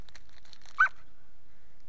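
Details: Brief high yelp from a dog near the middle, a single clipped note standing out against soft rustling and quiet indoor background.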